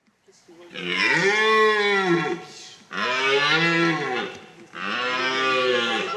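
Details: A red deer stag in autumn rut gives three drawn-out, throaty roars of about two seconds each, rising then falling in pitch. Recorded on the morning of 10 October 2011 at Sainte-Croix animal park, Lorraine, France, where 21 stags roam semi-free over 56 hectares.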